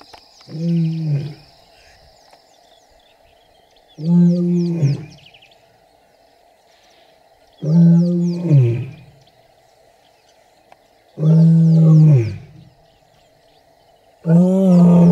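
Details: Roaring wild lions, Kambula pride with the Ndhzenga males, MalaMala Game Reserve, seen mating and with cubs: five low, heavy grunts spaced roughly three to four seconds apart, growing louder toward the end, over a faint steady insect hum.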